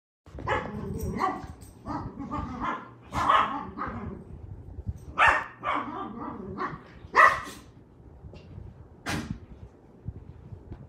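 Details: Dog barking and yipping excitedly, giving short sharp barks at an irregular pace, about one every two seconds, mixed with scuffling and indoor clatter.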